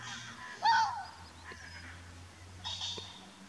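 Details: Fox barking at Chapmans Pool, Dorset, on 7 June 2016: a single sharp, hoarse, slightly upward-bent bark, then quieter scratchy sounds and a second fainter bark near the end over low steady background hum.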